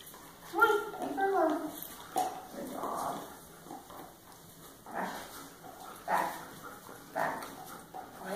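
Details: Jordie, a Standard Poodle, gives a run of short, tonal whines and yips in bursts over about two seconds, then breaks into rougher, irregular calls, with human voices talking nearby.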